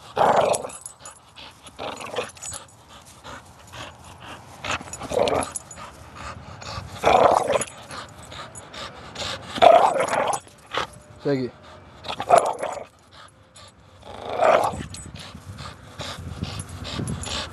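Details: Pet pit bull, a five-year-old female, playing tug of war in a non-aggressive game recorded July 8; rough growls and grumbles recur irregularly, roughly every two to three seconds, with rustling and tugging noises and faint human voices between bursts.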